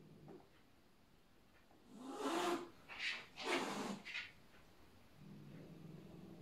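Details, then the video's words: Bengal cat Yuki asserting herself as new boss while the cats settle their rank order: three loud breathy hisses in quick succession mid-clip, framed by quiet, low, muffled growling at the start and end. "Bengalkatze klärt Rangordnung"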